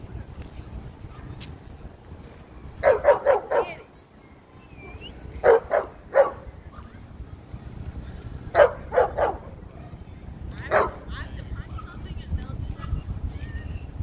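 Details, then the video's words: Cane Corso named Zuma, a female, at a dog park acting as enforcer and correcting other dogs; sharp barks come in clusters of three or four, separated by quiet gaps of a couple of seconds, with faint background murmur. "Cane Corso makes corrections at dog park"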